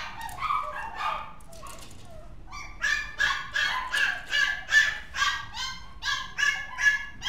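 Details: Mixed-breed dog giving a rapid run of short, high yipping barks with whimpering tones, about two or three per second after a brief quieter whining start.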